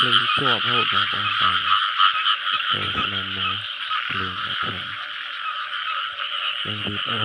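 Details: Rice field frog croaks come in quick low bursts, rasping and harmonic, some sweeping in pitch. A fast cluster opens, then sparser calls follow, with a continuous high background drone throughout.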